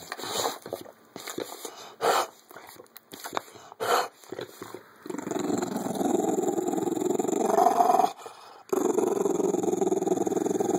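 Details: Female Bulldog named Cujo growling over her jolly ball while playing indoors; scattered snuffly bursts for the first five seconds give way to a steady, rough, low rumbling growl with rapid pulsing, briefly broken near eight seconds.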